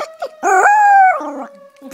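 A Maltese dog gives a high, wavering howl in answer to a steady wailing siren.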